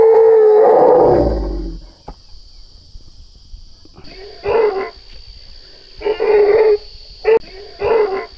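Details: Frightened baby elephant stuck in a hole, its mother absent, as a group of men haul it out: one long tonal squeal, then after a pause four shorter bursts repeated at irregular intervals, with men shouting instructions.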